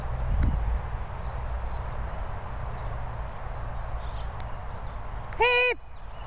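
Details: A Patterdale Terrier, Pip, lets out one brief, bright, harmonic whine that rises and falls near the end, after a quiet stretch with a soft thump and faint background hiss.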